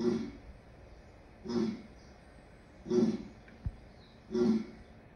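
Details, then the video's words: Lion uttering a series of short, low grunts about every one and a half seconds, fairly soft and evenly paced, with a faint hiss behind them. "Lion sounds"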